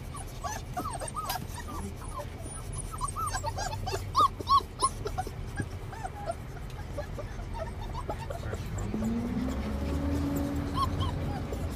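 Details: Several six-week-old Saint Bernard puppies whimpering and yipping during their first car ride to the vet: dense, overlapping, short rising-falling squeaks, several per second, over a constant low road rumble that swells near the end.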